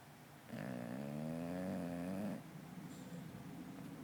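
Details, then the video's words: Snoring hard in deep sleep, an English Bulldog twitching indoors; a single drawn-out buzzy snore of nearly two seconds that slowly rises slightly in pitch, then fades to soft breathing noise. "English Bulldog Sleeping hard, and Snoring"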